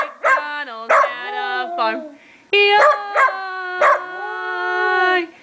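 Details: A stud dog howls along while a person sings Old McDonald Had a Farm: a clear tonal voice sliding up and down in long held notes, punctuated by sharp accents.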